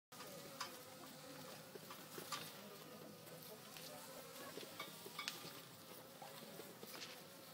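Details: Many western honey bees give a steady, low buzzing drone with scattered soft clicks at a natural hive in an old oak tree on a farm, with bees performing the honey bee dance to signal where to forage.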